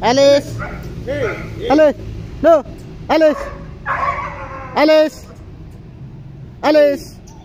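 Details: A German Shepherd and a Boxer kept as pets give a quick run of loud, ringing barks, roughly nine in seven seconds, some coming in close pairs, then a short pause before a final bark.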